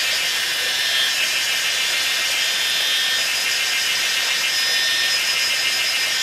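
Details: Kaempfer cicadas (Platypleura kaempferi) sing fervently in a dense, steady, unbroken buzzing drone at a small hillside waterfall near Pinghe Village, Taiwu Township, Pingtung County, Taiwan, on 19 May 2016 at 17:52.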